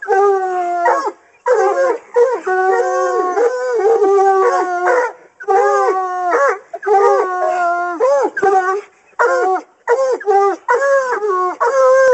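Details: Hunting Coonhounds howl at a raccoon held in a cage during training; overlapping, quavering bays with bending pitch, short choppy bursts mixed with longer drawn notes, voices layered over each other.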